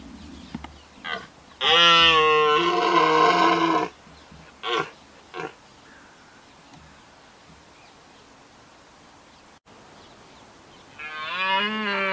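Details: A red deer stag in Richmond Park gives a loud, drawn-out, rasping roar during the rut, then a second bellow.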